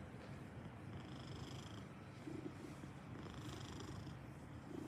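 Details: Maine Coon cat purring softly and steadily, a low buzzing rumble with little change in loudness.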